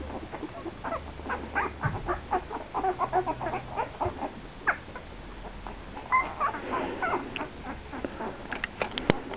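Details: Thirteen-day-old Italian greyhound puppies from JLo and Presley's litter, indoors; a rapid, uneven run of short squeaks and grunts, several per second, with a few higher whining yelps near the end.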